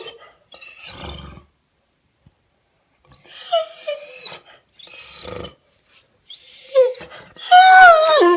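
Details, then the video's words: An ignored Weimaraner male sitting on a sofa and pestering for attention with horse-like noises: a series of whining, groaning calls with bending pitch, a few short grumbles, then a loud, sustained, sliding whine closing the sequence. "Don't ignore a Weimaraner - making funny noises like a horse and yawning"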